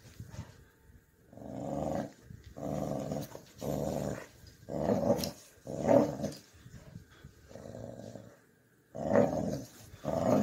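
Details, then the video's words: Pit Bull named Kai, excited, growling while playing tug of war with an old T-shirt on a bed indoors; low rumbling growls in bursts of about one second, roughly eight bouts with short pauses between. "Excited Pit Bull VS Dad Tug of War"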